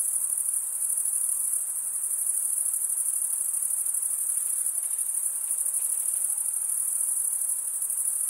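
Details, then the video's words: Stridulating crickets fill the air with a continuous piercing high trill, rapid pulses merging into one steady tone, with a faint murmur of lower noise underneath and no pauses. "Most relaxing cricket sound"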